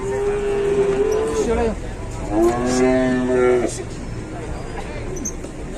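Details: Cattle at a busy Indonesian livestock market in the morning: one steady, flat moo of almost two seconds, then a shorter, richer moo that rises and falls. Crowd noise continues in the background.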